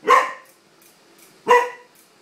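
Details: A corgi gives two sharp, harmonic barks about one and a half seconds apart, reacting to a wind-up toy horse set down on the floor indoors.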